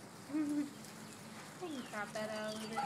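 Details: A pack of five basset hounds baying in a group: short, tonal, harmonic howls that rise and bend upward, overlapping one another at moderate distance, with people's voices and faint background noise.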